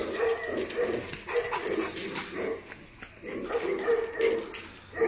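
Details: Tibetan Mastiff giving short, tonal whining calls repeated in quick bursts, with a man speaking softly in French nearby.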